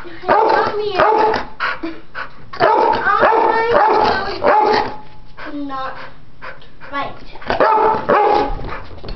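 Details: Two pit bulls playing, not fighting: Chomper, a 10-year-old male, and Stella, a 10-week-old puppy. Dense bursts of harsh, noisy barks and growly play vocalizations come in rapid irregular runs, with brief whiny tones between them and a voice in the background.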